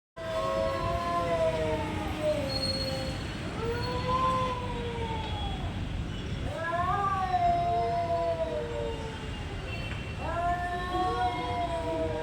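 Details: Cats fighting, making weird noises: long, wavering, drawn-out yowls that rise and fall, overlapping almost without pause, with a low background rumble.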